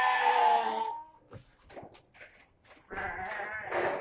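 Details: Penned goats near their shed in the late afternoon, noisy as feeding time before dusk nears: one loud wavering bleat at the start, then a second harsher bleat near the end, with quiet shuffling between.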